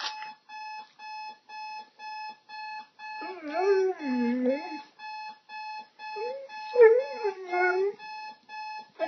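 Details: Pet dog responding to a beeping alarm clock: the alarm beeps in a regular pulsing pattern while the dog gives two bouts of quieter, wavering, whining howls that bend up and down.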